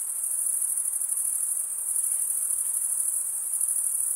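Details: Crickets stridulating, males rubbing one wing's toothed vein against the other; a steady, shrill, very high trill with fine rapid pulsing runs without pause, nothing else heard.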